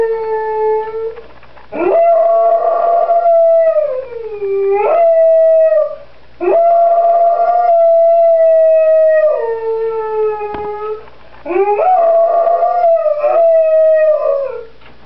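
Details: Crated pet dog voicing displeasure in drawn-out howls, four separate bouts with silent gaps, each starting with a rising yelp, holding a steady tone, then sliding downward at the end.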